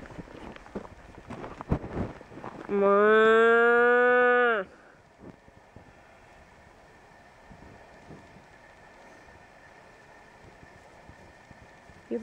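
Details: Cattle being herded: after speech and clatter, one long steady moo of nearly two seconds, a rich harmonic bellow holding level pitch and then cutting off, followed by quiet outdoor background.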